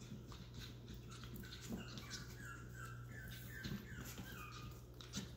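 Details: Chihuahua puppies from a Missouri breeder, whining indoors: a run of short, high, falling whimpers, several in a row, over a steady low hum in a small room.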